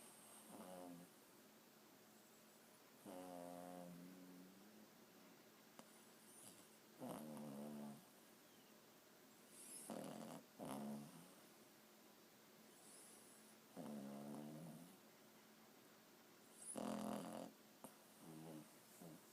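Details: A four-month-old Boston Terrier puppy asleep, snoring softly; each breath a gravelly, vibrating rasp lasting about a second, coming every three to four seconds with occasional short snorts, over low background hiss.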